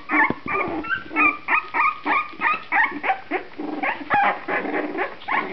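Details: Two-and-a-half-week-old puppies from one litter, eyes now open, keep up a steady stream of short, nasal whimpers and yips, roughly three per second, several voices overlapping at varying pitches.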